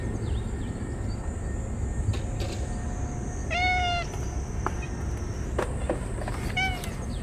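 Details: Ear-tipped feral cats crying while rubbing against one another at feeding time on a sweltering day. One short, clear meow in the middle and a fainter one near the end, amid rustling, clicks and low outdoor rumble.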